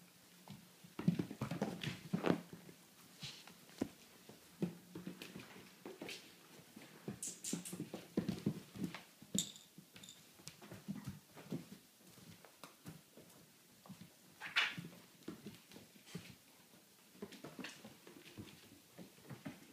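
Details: A Vizsla indoors makes low, throaty grunts and soft whines in short, uneven bursts, with occasional higher whimpers; clicks, thumps and knocks throughout, no steady rhythm.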